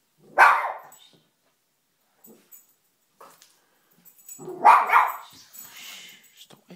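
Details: Indoor pet dog barking at the family's fish, which she had never noticed before; two loud harsh barks about four seconds apart, with faint rustling between them.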